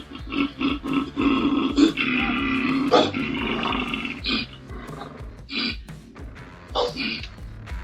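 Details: A male koala on a driveway makes a mating call, bellowing in deep, rasping, snore-like pulses that rise and fall in rapid bursts. It had climbed up on hearing a dog barking.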